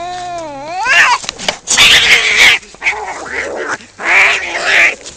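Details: Two cats fighting: a long wavering yowl rises and falls, then breaks into harsh screeching and hissing bursts, with a short pause before another loud screech.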